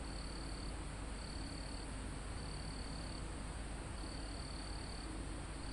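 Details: Crickets calling in a forest high on a mountain: repeated short trills lasting under a second, separated by brief gaps, above an unbroken high-pitched insect drone and a soft roar of wind in the trees.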